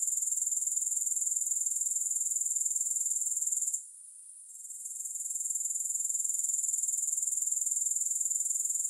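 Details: Dense, very high grasshopper trill of quick regular pulses, with no music. It falls silent for about a second near the middle, then gradually rebuilds.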